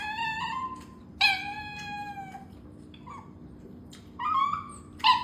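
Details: Small Chinese rural dog kept as a pet, craving food indoors, giving long clear whines that slide gently down, then a short rising yelp and two sharper cries at the end, with a faint steady hum underneath.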